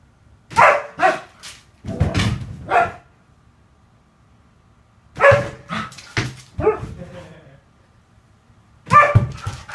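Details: Siberian Husky, indoors, upset and throwing a tantrum after being barricaded out of the living room while owners nap; loud bursts of yowling, woo-woo vocal complaints in groups separated by silent pauses of a few seconds.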